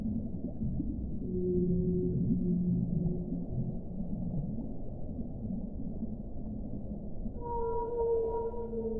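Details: Whale calling beneath a dense low rumble: a faint drawn-out moan in the first seconds, then a brighter sustained tone with a higher overtone rising clearly near the end.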